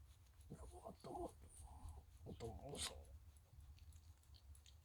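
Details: Chichi, a friendly Shiba Inu kept near the Kanahama branch school in Aomori City, Aomori, sneezes after head-and-neck petting during the moult, following a shake: brief snorting bursts, then one sharp, hissy sneeze near the end, with faint low room hum.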